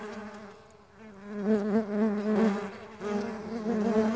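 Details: Mandaçaia stingless bees in flight, wings flapping: a low, droning buzz with a rich humming overtone, fading quieter near one second, then swelling louder from 1.5 s as bees pass close.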